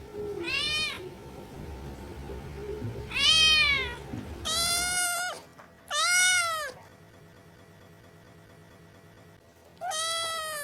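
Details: Reebonz Cattery kittens meowing: five loud, strongly harmonic meows, some arching up then down, irregularly spaced with a long quiet gap before the last, and low room noise under the first half.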